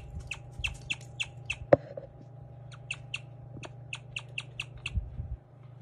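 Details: Guinea pig Lumi chirping, a rare call often misheard as a bird: short high chirps spaced about three per second in two runs separated by a gap, one sharp click in between, steady low hum underneath.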